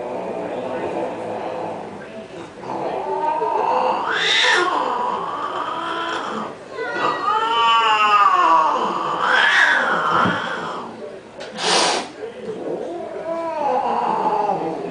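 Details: Cats fighting over a pink Mustang let out loud, drawn-out wavering yowls with rich harmonics, arching up and down in several bursts. A sharp click near twelve seconds.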